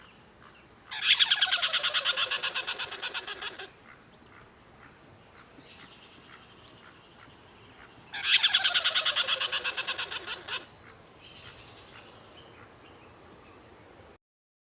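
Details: Tree squirrel. A tree squirrel calls in two loud bouts of harsh, rasping chatter, the notes coming several times a second. Softer, fainter calls are heard in the pauses between the bursts.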